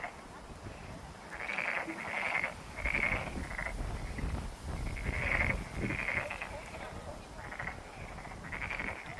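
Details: Frogs calling from Monet's Pond at Ulsan National Garden: rasping, pulsed croaks repeated roughly once a second, several overlapping callers forming a steady chorus over a hiss of background noise.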